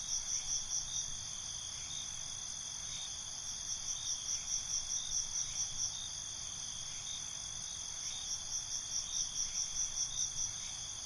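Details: Cricket chorus at night, shrill, steady high trilling broken by bursts of rapid pulsed chirps that come and go in waves, with a low soft rumble in the background.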